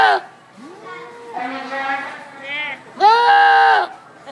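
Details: Goat at a county fair in Rhode Island screaming in a startlingly human-like way: a drawn-out wavering cry near 0.6 s, a longer strained yell around 1.5 s, then a loud harsh scream from 3 to 3.8 s.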